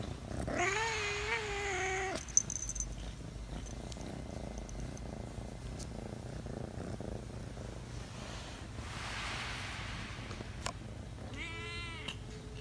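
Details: Chattering pet cat indoors: a long wavering vocalisation of over a second at the start, then near silence with faint household noise, and a short sharp rising-falling chirp near the end.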